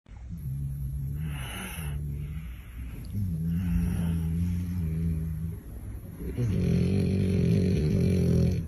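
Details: Sleeping dog snoring in long, low rumbling breaths, each drawn-out snore buzzing steadily for one to two seconds, with short pauses between and the later snores louder; a faint steady high whine runs underneath.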